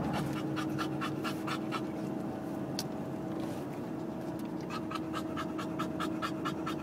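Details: Bulldog pants in fast bursts, falls quiet for a couple of seconds with one sharp click, then resumes its quick breathy rhythm over a low hum.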